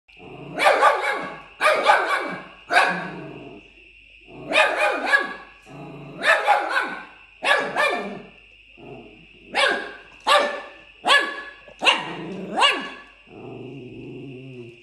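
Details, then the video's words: Fox Terrier puppy named Zuza play-fighting with another dog named Tin: bursts of high, sharp, yappy barks and snarls in clusters, roughly a dozen over the span, ending in a lower growl, with a steady faint tone behind. "Puppy Fox Terrier Zuza fighting with Tin"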